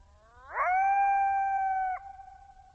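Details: Coyote in Zion National Park, giving a single smooth howl that rises quickly, then holds a steady pure tone for about a second and a half before breaking off with a brief dip; quiet background.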